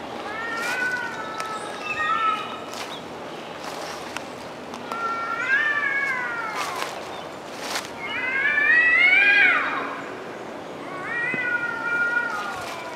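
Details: Cats arguing outdoors in woods: a run of drawn-out, wavering yowls rising and falling, several louder swelling cries, one peaking strongly near the middle, with brief clicks and rustles between.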